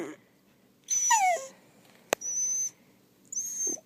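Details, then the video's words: Pet wiener dog reacting to the word rubber, which drives him nuts: a short high falling whine with a clear harmonic stack, a sharp click, then thin high whistly tones. "My little wiener makes weird noises"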